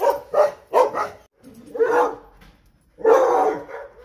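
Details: Several dogs barking loudly in quick bursts: three sharp barks in the first second, then longer, rougher barks near two seconds and again after three seconds.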